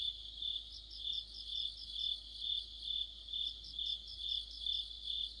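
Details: Crickets and other insects chorusing in the middle of autumn, near a streetlight: a continuous high, shrill trill pulsing in rhythmic swells about twice a second, several callers overlapping, no other sounds.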